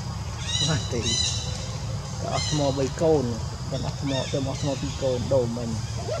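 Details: Crying monkey Jazzy, bitten all over by ants, with monkey Jane giving no help; sharp high-pitched screams alternate with a run of lower, wavering, quavering calls over background rumble.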